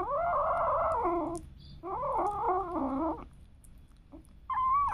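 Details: Domestic cats and kittens meowing: two long, wavering, harmonic-rich meows of over a second each, followed by a shorter rising meow at the end, with quiet room background.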